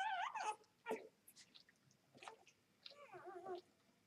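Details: Vizsla x Labrador puppies two days old, from a Vizsla mother and Labrador father, uttering brief squeaky whines and wavering cries, a few soft squeaks between, low-level background hiss.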